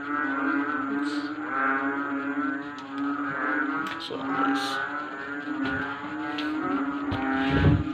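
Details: Many frogs calling noisily at night, disturbing sleep; overlapping low, moaning calls pulse steadily while scattered clicks, taps and a low rumble sound in the background.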